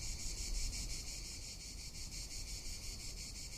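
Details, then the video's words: Cicadas calling in summer in Tuscany: a steady sizzling drone beating roughly three times a second, slightly louder at the start, with gusty wind rumble below. "Cicada or Cigarra - Sounds of summer in Tuscany"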